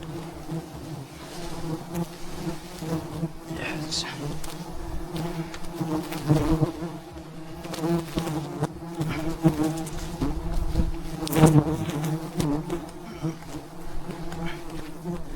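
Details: Wild bees swarm a giant mountain beehive during a traditional honey harvest high above the ground. A continuous deep buzzing drone holds steady, with scattered clicks, scrapes and thuds from the work on the comb.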